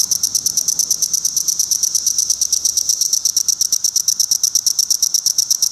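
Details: Male Magicicada cassini courting at a Route 199 rest stop in Rhinebeck, New York, where many cassini and decim cicadas sat on low trees: fast, even series of high dry ticks, several per second, with a faint lower chorus behind.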